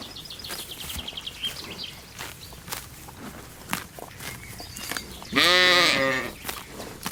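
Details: A sheep grazing on a spring meadow with lambs gives one loud, quavering, nasal bleat after quieter outdoor background noise.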